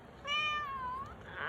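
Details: A rescued cat gives a voiced yawn: one drawn-out, tonal meow-like note lasting under a second, held level then sagging slightly lower before fading, with a faint rustle at the end.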